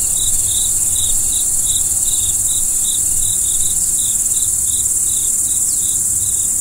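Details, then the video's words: Crickets at night: a steady, very high shrill drone runs throughout, with a lower series of short, bright chirps pulsing about twice per second on top. "Stars at Night BLACK B/G - Video & Audio Crickets"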